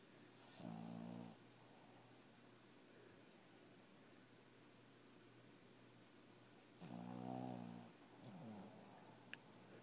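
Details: Shih tzu puppy snoring while asleep indoors: two louder nasal snores with stacked tones around 0.7 and 7 seconds, a softer one near 8.5 seconds, and a low steady breathing hum between them.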